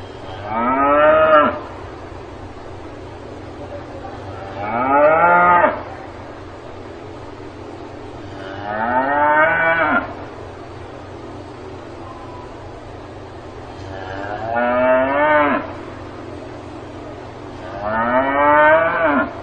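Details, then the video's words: A cow lowing on a farm: five loud, harmonic moos, each about a second and a half long, rising then falling at the end, spaced roughly every four seconds over a steady low background hum. "농장에서 우는 소 울음 소리"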